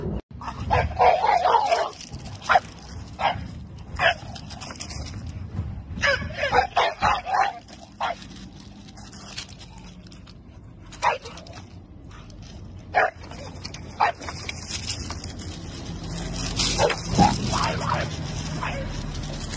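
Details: Bulldog in India barking at a garbage truck: sharp, loud barks in quick bursts over the first seconds, then scattered single barks with whimpery yips, over a steady low engine rumble that swells near the end.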